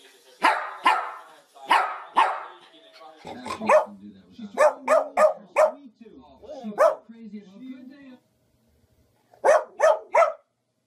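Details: Barking dogs in a humorous compilation: paired loud barks open, then lower whining and grumbling sounds mixed with quicker bursts of barks, a brief quiet spell, and a final volley of three rapid barks.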